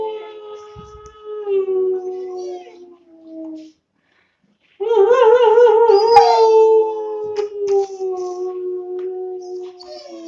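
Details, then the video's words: Two-month-old long-coat German Shepherd puppy howling: sustained mid-pitched tones that waver, a short silent gap, then a louder quavering howl that slowly falls and fades. "How to make 2 months old German Shepherd puppy Howling"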